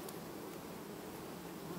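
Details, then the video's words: Honey bees of a hive quietly superseding their queen in August 2019; a continuous low buzzing hum of the colony, even and unbroken, with a faint rustle. "Matca schimb linistit 2019, familie ce asi schimba matca , albinele in august"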